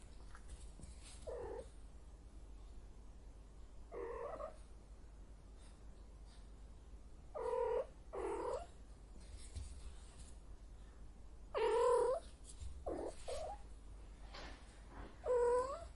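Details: Heat cat uttering repeated short yowls at irregular intervals, about one every few seconds, some faint and muffled, others clearer with wavering harmonic tone, against a low background hiss.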